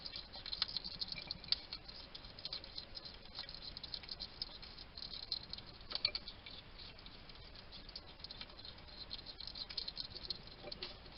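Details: Male wild hedgehog feeding in a small Somerset garden, UK, filmed by trail cam, muttering to himself over his food: a steady patter of moist chomping clicks and sniffs in uneven bursts, quiet hiss behind.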